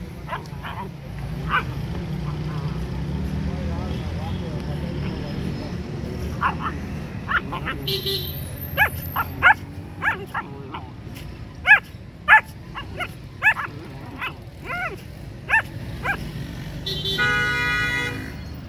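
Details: Three-month-old German Shepherd puppies give short, sharp barks. They are sparse at first, then come in a quick, uneven run of yelping barks in the middle stretch. A voice calls commands throughout, and a low vehicle rumble lies underneath.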